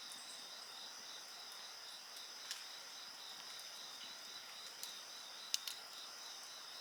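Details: Insects trill steadily in high, evenly pulsed tones while a bonfire pops and snaps several times, with sharp crackles scattered through the chorus.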